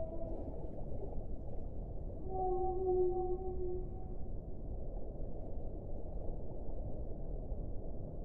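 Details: A single sustained whale moan, level in pitch with a fainter overtone above it, lasting about two seconds against a steady, low, muffled water background.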